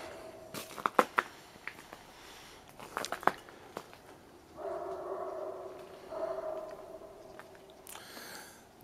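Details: Two Great Pyrenees guarding an alpaca herd bark from a distance at 8am on November 30, 2010, in short, sharp bursts, then a longer drawn-out tone, with no apparent provocation in otherwise silent surroundings.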